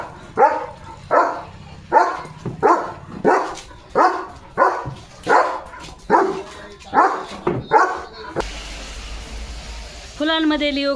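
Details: Leo the German Shepherd barking hard while playing in the rain near flowers; a regular series of about a dozen gruff barks, close to one per second, then a human voice speaking after the barking ends.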